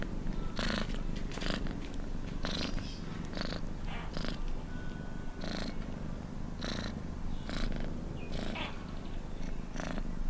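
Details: A cat purrs in a deep, constant rumble, with rhythmic airy whooshes marking each breath, about eleven of them, fairly evenly spaced.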